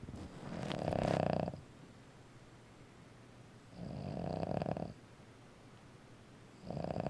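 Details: An old female Boston Terrier snores loudly in slow, rasping bursts, each lasting over a second.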